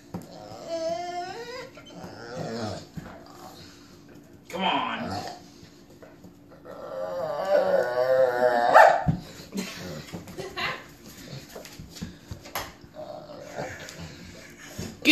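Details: Sam, a pet dog, growls and snarls in rough play with a cat that bites at him indoors; bursts of throaty, buzzy growling and whining come in uneven runs, while a woman's voice urges him on throughout.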